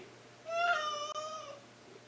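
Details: Indoor pet cat answering its owner with one clear, loud meow about a second long, rising briefly then falling and fading, amid the owner's chatter about doing something useful and taking a bath.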